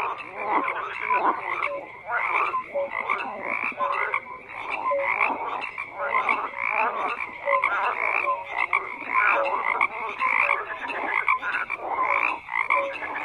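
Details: Crowd of frogs calling at once: burry croaks, clicks and short piping notes overlap into a thick, pulsing chorus that rises and falls in loudness.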